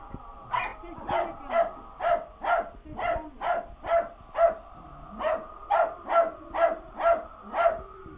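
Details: Puppies barking in fright at a Halloween prop: a rapid series of short, high, harmonic yaps and barks, about two every second, fairly steady in rhythm throughout.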